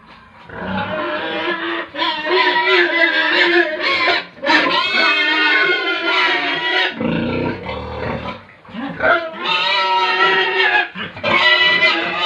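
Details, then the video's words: Pigs and piglets at a farm in Tripura: loud, shrill, harmonic squealing in long overlapping bursts, with short gaps filled by low grunts, several animals calling at once. "Pigs & Piglets sounds"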